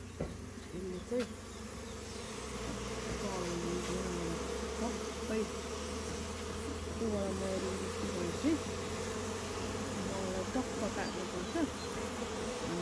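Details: Honey bees in a goat shed on a farm, disturbed while collecting local honey; a dense, even buzzing drone with faint wavering tones carries steadily, with a few soft knocks.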